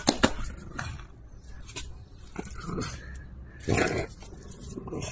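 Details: A female French Bulldog that wants to be teased and play tug over an object makes short grunts and snorting huffs, with a louder harsh burst near the end.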